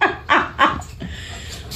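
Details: Tonka, an Alaskan Malamute, reacts during play after attacking a mannequin head and knocking off its hair. He gives two short, loud, harmonic bark-like bursts about a third of a second apart, then quieter rustling and household sounds.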